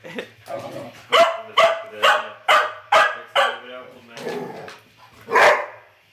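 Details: Terry and Trixie, two dogs, trading quick barks in a tight run of about seven harsh, loud yaps spaced roughly half a second apart, then a final louder bark, with Bulgarian chatter faintly behind.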